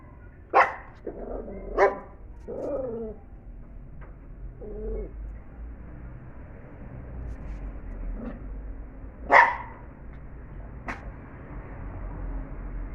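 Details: Angry Pinscher trying to catch a fly: sharp single barks near the start and again later, with short whiny, grumbling sounds between them, over a steady background hum.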